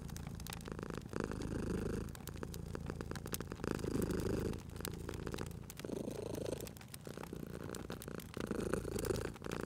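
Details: Cat dozing beside a crackling fire, purring softly: a throaty low rumble rising and falling with slow breaths every couple of seconds, briefly quieter near the middle, while the fire snaps and pops steadily.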